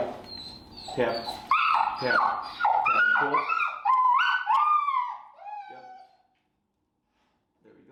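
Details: Finnegan, a very vocal feral dog in a Chicago training class on place work and an e-collar introduction, gives high, sliding whines and yelps in a rapid run of about two calls a second, with a person talking at the start.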